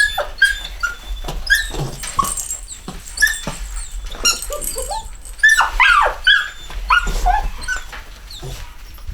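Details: Chocolate Cockapoo puppies from a home-bred litter of males and females whimper and squeak repeatedly, brief high cries coming roughly every half second amid rustling and bumps.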